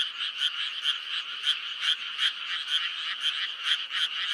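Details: A dense May frog chorus, likely in Korea, of high, rattling croaks that pulse steadily about twice a second.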